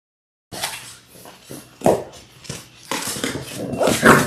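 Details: Six Labrador Retriever puppies in their sixth week, born January 18, 2022, on a live puppy cam: brief high whimpering yips near two and four seconds, set against scuffling, rustling movement and broadband clatter after a silent opening.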